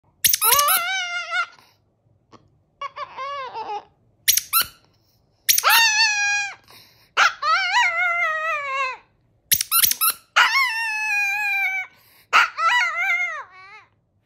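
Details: Chihuahua howling a song indoors: drawn-out, wavering, harmonic-rich howls that bend up and down, broken by short yips and brief silences, with several long phrases over fourteen seconds.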